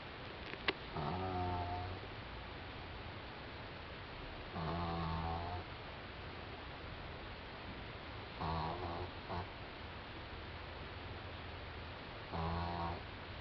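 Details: Doudou, a four-month-old French Bulldog, snoring while asleep indoors: four rough, buzzy breaths about a second long, repeating roughly every four seconds over a steady hiss of room noise.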